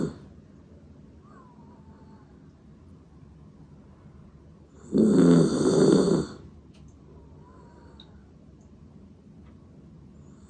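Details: Kokomaro, a 16-year-old dachshund-poodle mix fighting stomach cancer, snores while asleep indoors; one loud rasping snore lasts about a second and a half, with faint whistling breaths before and after in a quiet room.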